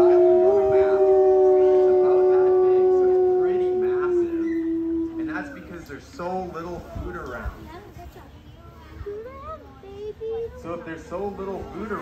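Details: ['Wolf giving a smooth, sustained howl for about five seconds that slowly drops in pitch. Rough wavering cries and short yips follow, broken and uneven, with a few brief rising notes toward the end.']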